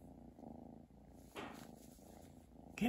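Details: Chi, a pet cat, purring at Christmas indoors: a steady low rumbling purr throughout, with a brief rustling burst near the middle and another noise at the very end.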